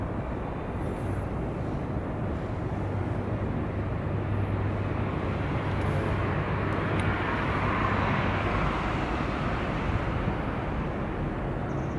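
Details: Loud outdoor urban rumble of passing vehicles and possibly an aircraft overhead, a continuous broadband roar with no animal calls.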